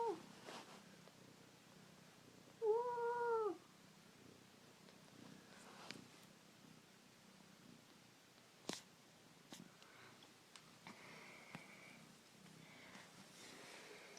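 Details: Newborn kittens with their mother, a fostered stray cat, indoors; a single short, clear, arched mew with rising-falling harmonics near the start, then quiet rustling, faint clicks and a soft tone later.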